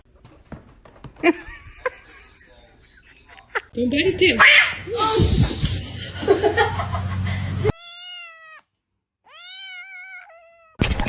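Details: Domestic cat meowing indoors: after several seconds of people talking and handling noises, two clear, drawn-out meows with rich stacked harmonics, the second longer and steady in pitch, ending with a short burst of noise.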